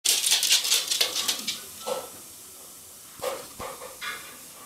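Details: Female Cardigan Welsh Corgi, one year eleven months old, on patrol chasing squirrels off her territory: a quick burst of sharp, repeated barks over the first second and a half, then a few more spaced barks, with a man calling to her.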